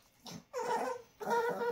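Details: Dixie, a Chihuahua, makes two drawn-out whiny, nasal vocal sounds in quick succession, a talking-style moan indoors.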